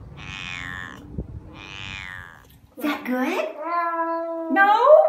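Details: A cat makes odd noises: two soft, falling mews, then a louder, long, steady wail that bends upward and ends in a strained, rising cry.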